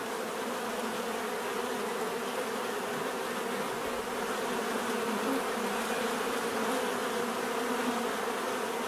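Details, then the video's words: A constant drone of many bees, with low humming bands that stay level and unbroken, a soft hiss above and a faint shifting tone near the middle. "bees therapy relaxing natural buzzing sound"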